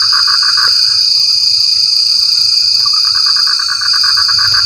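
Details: During rain, a frog gives a quick burst of pulsed croaks and then goes quiet. After a few seconds a longer rattling series follows, all over a steady high-pitched insect hum.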